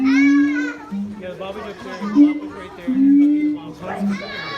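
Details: Siamang pair singing a harmony of high and low voices, said to carry up to 4 km, while their infant stays silent clinging to its mother; steady low hooting notes alternate with brief rising harmonic calls, with voices murmuring in the background.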